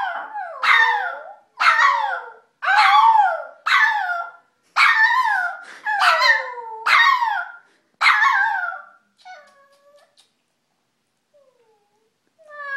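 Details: Howling from the dog Cujo: about eight loud, downward-sliding yowls in quick succession, roughly one per second, then fading to softer, thinner calls and a near-silent pause before a last faint cry.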